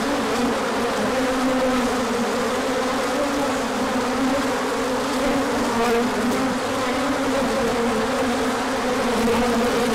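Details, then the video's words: Crowd of bees on a large orientation flight, 24 March 2024, emerging once the sun came out after colder weather; constant droning buzz with a low fundamental and bright overtone, gently fluctuating in pitch. "Large Orientation Flight."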